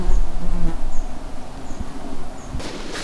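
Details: Herds of flies, including horse flies, drone past with a low, steady hum, loudest in the first half second, over deep wind rumble on swampy terrain on the Jämtland–Västerbotten border in Sweden, with faint high chirps, possibly golden plovers, about once a second.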